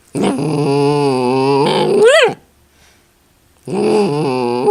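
A miniature dachshund makes a drawn-out, grumbling growl that rises into a yelp-like whine, then growls again.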